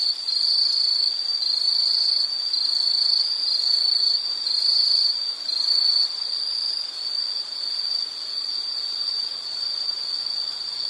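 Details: High-pitched insect chorus in nature, pulsing trills in short bursts during the first seconds, then merging into one steady shrill drone.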